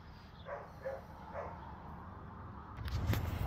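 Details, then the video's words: Dog barking nearby, startling another dog; three muffled barks around half a second apart, then a loud clattering rustle toward the end. "tahol ng aso"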